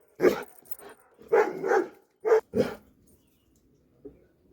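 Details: Dobermann barking in short, loud, harsh bursts: a single bark, a double bark, then two more sharp barks close together, followed by a faint final yelp in a quiet setting.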